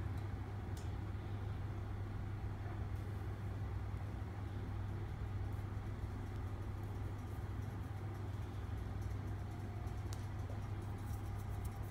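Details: Low steady motor drone with light clicks and rustles, and no animal sounds.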